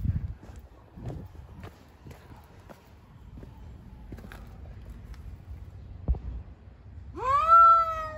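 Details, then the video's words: Street cats fighting: after several seconds of quiet shuffling and taps, one loud, rising then gradually falling yowl bursts out at the very end. "Cats on the street are fighting with a lot of funny sounds."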